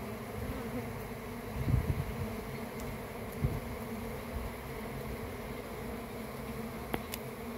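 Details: Honey bees in a swarm fill the air with a thick, even drone of deep overlapping hums. A few louder thumps break through early on, and a brief click comes near the end.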